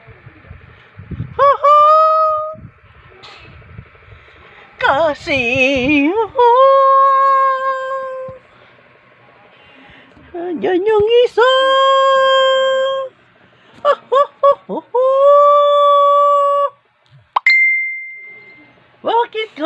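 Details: A dog makes long, wavering, howl-like whines in several drawn-out phrases, some rising sharply and then holding level, separated by short pauses. A person speaks quietly in between.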